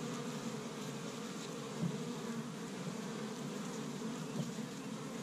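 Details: An established hive of honey bees in Michigan, active on the first warm day of spring while gathering pollen from tree buds; a steady, humming buzz with brief louder passes from bees flying near.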